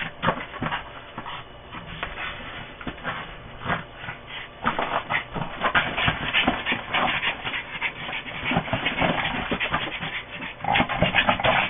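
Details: A Boston Terrier named Koda growls and whines in bursts while playing with a ball, with scuffling and snuffling noises in between; recorded 16 October 2006.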